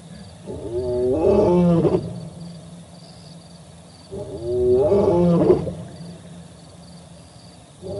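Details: Another male lion calling on 4 October 2020, captured by a live camera at the Olifants River: two long roars, each rising to a strained, rich moan before dropping into low grunts. Quiet low rumble fills the gaps.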